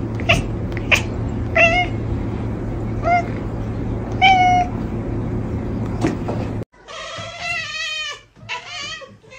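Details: A pet cat chirps in quick, clipped bursts, some paired, spaced about a second apart over a constant low hum, before the background changes and voice-like tones follow in the final seconds.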